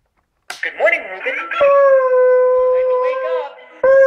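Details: Pet hound howling along to a singing alarm clock indoors: brief voices and clatter at first, then a long, steady, smooth howl held for about two seconds with a slight wavering rise near the end, and a fresh howl starting at the close.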